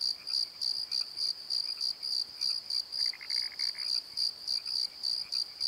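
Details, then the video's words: Crickets at night in a valley bottom, filmed with a Nikon D7100: shrill pulsed chirps in a quick regular beat, joined midway by a brief lower rattling trill. "Crickets and Croaks! Pozo Night Tree"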